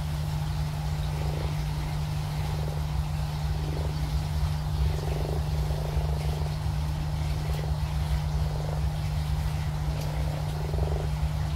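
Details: Big frogs at a pond giving short, pulsed, low croaks, one every second or two across the recording, with some overlapping, all over a loud, steady, low mechanical hum.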